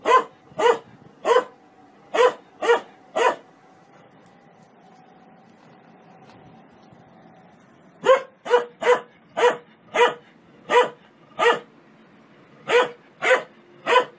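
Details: Dog barking happily in play: crisp single barks in two bursts separated by a quiet gap of several seconds, a faint steady tone underneath.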